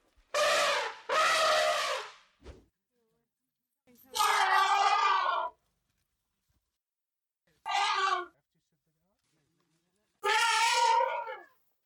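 An elephant gives loud, brassy trumpet blasts, each lasting one to two seconds.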